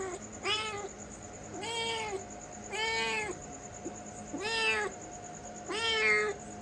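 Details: Domestic cat giving five clear, drawn-out meows spaced roughly a second apart, each bending up then down, over a steady faint electrical hum.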